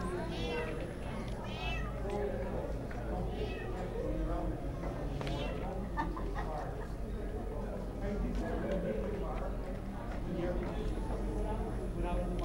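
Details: Havana Brown cats, three females about eight months old, at the TICA-sponsored GLASS Citicats Cat Show in Portage, Indiana, June 25, 2011; several short rising-falling meows over steady indoor crowd chatter and people talking nearby.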